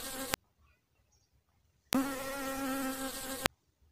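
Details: Honey bee at a flower heard in two abrupt bursts of low, even buzzing. A brief opening burst is followed by a pause, then a steadier drone lasting about one and a half seconds before cutting out.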